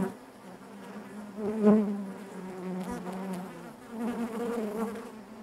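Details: A colony of honey bees droning inside their hive; the low hum swells strongly at one point as a bee passes close, then settles into a steady, slightly wavering buzz.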